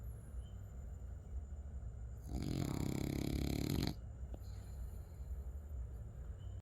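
A French Bulldog gives a rough, rattling snore lasting under two seconds against a low background hum.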